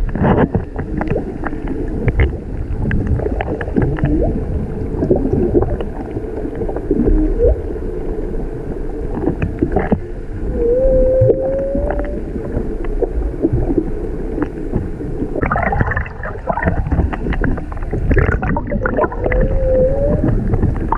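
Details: Humpback whale song recorded underwater off Maui from a whale-watch boat, with a mother and calf present; drawn-out tonal moans and upswept whistles rise through the middle pitches amid heavy low rumbling boat and water noise.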